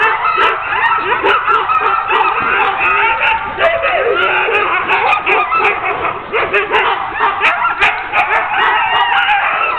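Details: Eager sled dogs being harnessed as a ten-dog team for a training run, a steady wall of yips, barks and rising whimpers from many animals together.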